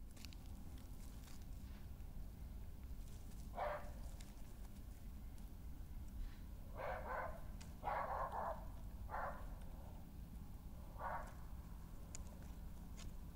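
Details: Badgers fighting on 20 May 2018: Hattie, a dominant senior female, confronts a newcomer intruding on her patch, scrapes the ground, then scuffles. Most growling comes from the newcomer. Five short, harsh, rasping bursts sound over a steady low rumble.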